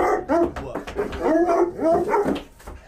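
A Bluetick Coonhound gives a run of short, throaty barks with a bending, baying tone.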